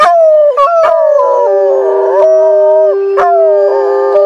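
Timber wolves give long, smooth howls that slide gently in pitch, with two voices overlapping.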